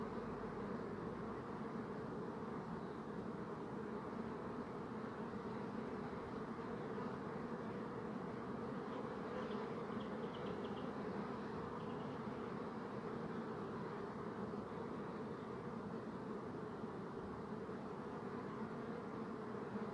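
A steady, low droning buzz from many bees, unbroken from start to finish.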